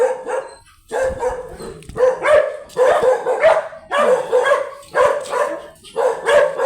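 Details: Small chocolate teacup Pomeranian brought for stud service at Pugaro, Manaoag, Pangasinan, yapping in uneven bursts, sometimes single barks and sometimes quick doubled yips, loud and shrill, with a short pause near the start.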